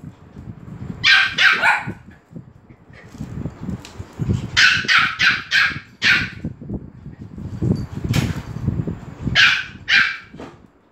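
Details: Dogs at Phuket Dog Resort bark with excitement when Fendi the Pomeranian arrives. Clusters of high, sharp yaps repeat in bursts of two to four, separated by shuffling and low background noise.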